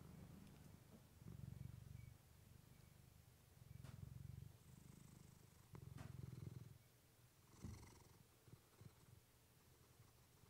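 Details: Purring from Clementine the pet cat, captured with a fluffy mic: four low rumbling pulses of purr about two seconds apart, followed by a brief brighter rustle and faint higher noise near the end.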